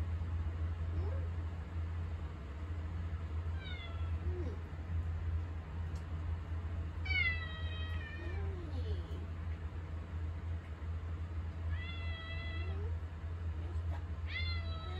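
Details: House cat begging for attention in the kitchen, the way Mugi now comes calling; four drawn-out, bright meows, some rising then falling, spaced a few seconds apart, with soft lower squeaks and a constant low hum behind.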